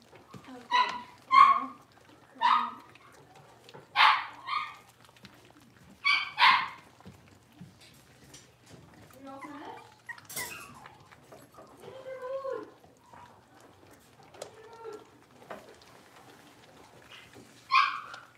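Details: Five young blenheim Cavalier King Charles Spaniel puppies at play in a home puppy pen; a run of high yipping barks roughly every one to two seconds, then softer whines and grumbles, with one last bark near the end.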